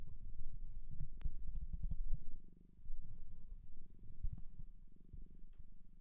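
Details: Cat taken in from a shelter in Japan, purring close to the microphone: low, pulsing rumble in waves of roughly one to two seconds, dipping briefly midway, with scattered small clicks.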